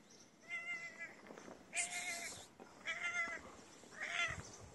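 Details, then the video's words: Feral, homeless cat begging for food, giving four clear harmonic meows, each about half a second long, roughly one every second, the second one louder and harsher, with faint background noise. "Cute Dirty Cat Asks Me For Food With A Nice Meow."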